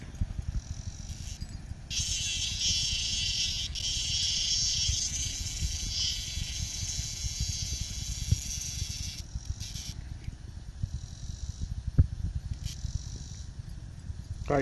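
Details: Very loud cicada found by the dog Bella while out walking, with a sustained rasping buzz of about seven seconds, then fading to softer buzzing, with footsteps and ground noise below.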